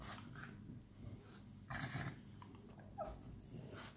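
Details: Playing French Bulldogs at night give low rumbling growls and breathy bursts, with a brief whine-like note near the end amid light scuffling.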